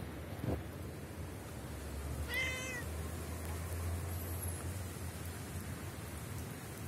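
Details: Street cat meowing as it approaches a person during snowfall: a single short, tonal meow, slightly falling, about two seconds in, over a steady low rumble, with a faint high chirp a little later.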